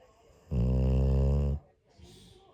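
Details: Pit Bull sleeping on New Year's morning, one long, loud, droning rumbling snore lasting about a second, followed by a softer breathy exhale.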